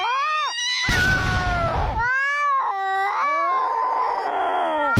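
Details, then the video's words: Agitated cat voicing a string of arching, strained yowls that rise and fall, each lasting about a second, with a harsher noisy burst in the middle of the sequence. "Never Underestimate a Angry Cat"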